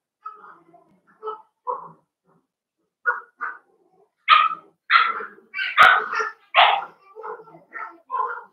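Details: Playing Cavalier King Charles Spaniel puppies raised indoors in a home pen give a run of short, nasal yips that grow louder into sharp, shrill barks, roughly one every second, with a brief sharp click midway.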